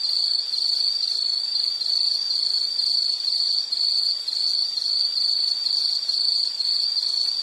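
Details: Insect chirping in rapid pulsed bursts of a high, piercing tone, about two chirps per second in an uneven rhythm, each burst bright and buzzy over quiet hiss.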